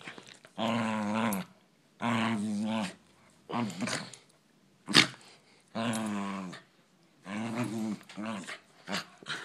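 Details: Poodles fighting indoors, uttering repeated harsh, throaty growls in bursts of about a second, separated by short pauses, with a sharp yelp and snarling near the middle.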